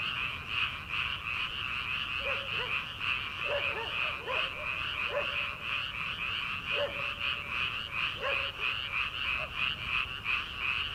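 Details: Early-summer frog chorus in rice paddies ahead of transplanting season. A steady, shimmering high chorus runs throughout, with scattered lower croaks breaking in at irregular moments and one longer, drawn-out lower note.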